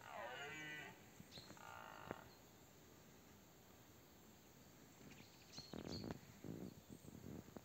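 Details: A powerful red deer stag about 50 m away, filmed against the sun during the 2024 rut, roars with a deep, harmonic, bellowing bawl.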